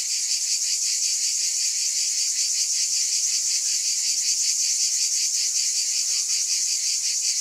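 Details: Cicada chorus forming a constant high, hissing buzz with subtle pulsing beats, level and unchanging, a faint low tone briefly beneath.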